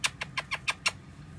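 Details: Pet Mongolian gerbils, woken up and afraid, drum their hind feet in a quick run of sharp, evenly spaced thumps, a loud alarm warning other gerbils of danger nearby.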